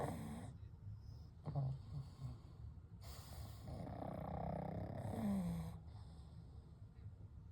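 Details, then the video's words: Sleeping pugs Kou, Gen and Shun breathing heavily in their sleep: soft snorty, airy snores with a low rumble and a brief squeaky nasal note near the end. "パグと眠る夜｜A Night with Sleeping Pugs - Gentle Snoring & Breathing"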